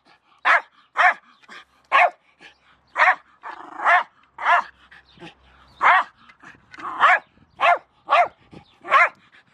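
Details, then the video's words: Jack Russell Terrier named Milo barking at a shovel, sharp high barks repeated about twice a second with brief softer sounds between them. "Jack Russell Terrier Milo e la pala"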